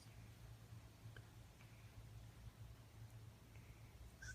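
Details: A male French Bulldog snores softly while lying in a person's arms, a low, steady rumble rising and falling with each breath.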